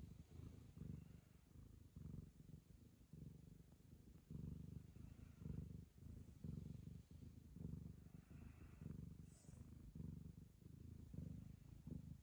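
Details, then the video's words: Ragamuffin cat purring while licking the owner's daughter as a sign of affection; steady low rumbling purr in rhythmic pulses throughout, with faint rustling. "友愛の証として娘を舐め回す猫 ラガマフィン"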